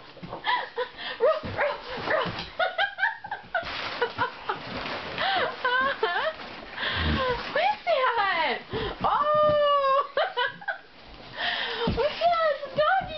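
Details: At Christmas, Johnson American Bulldog Bubba, aged 2 1/2, gets his favourite present, a large stuffed toy. Squeaky, rising and falling whimpers and short yips tumble out in quick succession over background music and human chatter.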